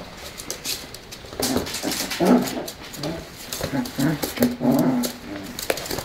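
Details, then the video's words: Tibetan Terrier inviting play, giving a run of low, moaning whines and grumbles in short uneven bursts over a few seconds, with a person's voice mixed in and some rustling. "Skal vi lege ?"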